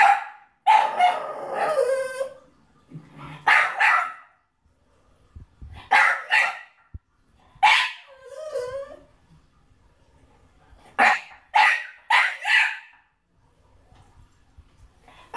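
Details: A French Bulldog watching the film Beethoven on TV cries in bursts of high, wavering whines mixed with sharp yelping barks.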